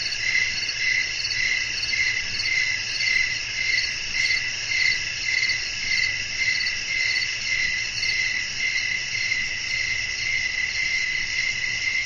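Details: Crickets call through the night while wind blows gently: a continuous, high, bell-like trilling that swells and eases in regular pulses, close to two per second, above a faint low rumble.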